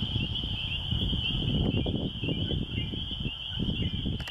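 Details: Spring peepers calling at a rural church in the country: a dense chorus of high peeps merging into one steady shrill band, over heavy low rumbling noise, perhaps wind or handling.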